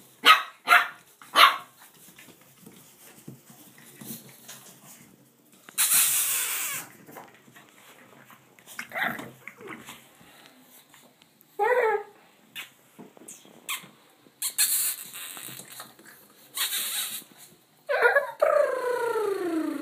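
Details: Blue Boston Terrier puppies almost 6 weeks old, playing after a bath, yip and whine in short, uneven bursts, with rising and falling whimpers.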